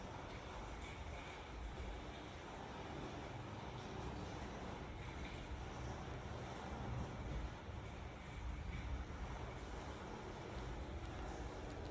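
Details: Continuous broadband rumble, like wind or handling noise, fills the recording with no animal sounds.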